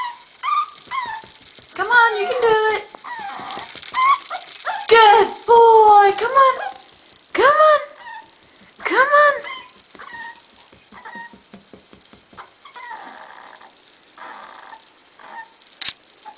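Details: A seven-week-old puppy whimpering and yelping while trying to go down a staircase, with high, wavering, downward-curving whines in clusters, then softer short whimpers; a woman repeatedly and gently urges it on throughout.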